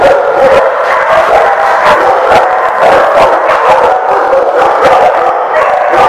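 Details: Dogs barking at The Barking Lot on 19 September 2016: a crowded, unbroken chorus of overlapping barks and yips, with sharp individual woofs punching through several times a second.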